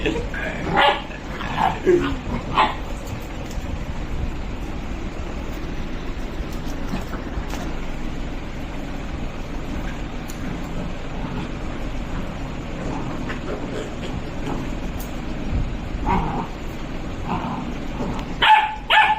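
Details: Two Labradors, Leon and Alester, play fighting: short loud barking bursts open the scene and return near the end, with a quieter low household background between them.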